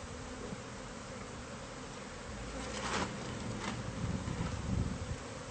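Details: Honey bee colony hidden inside the walls of a house, found by a new homeowner and being removed by pest control; a steady low droning hum of many bees throughout, with a brief louder scrape near the middle.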